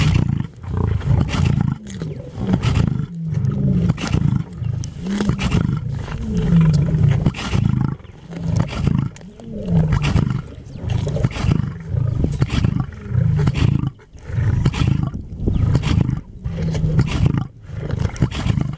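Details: At feeding time in Antelope Park, Zimbabwe, a lion's low guttural growling and roaring pulses on and off, with throaty rumbles that swell and break every second or two.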